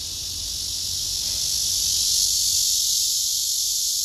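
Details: Loud, unbroken buzzing of black cicadas clustered in a row around a large female, swelling slightly in strength midway and holding steady as a bright hissing drone.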